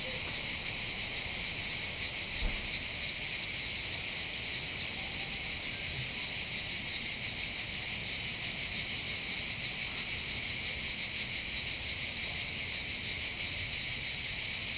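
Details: Cicadas heard from the heights above Bandol's port in the Var, southern France, near the Mediterranean. The loud, steady, buzzy drone pulses rhythmically without pause. A soft low ambient rumble continues underneath.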